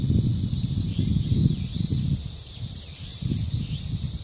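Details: Cicadas at the dangsan of Deoksan village, a steady high hissing drone running unbroken through the whole stretch, with heavy gusts of wind rumbling low beneath and faint bird notes above.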